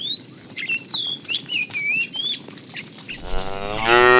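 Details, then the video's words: Tame cow herd starting its morning activity, roaming in search of food; a loud harmonic moo rises at the very end after three seconds of busy, twittering birdsong in the background. "Funny cow sounds"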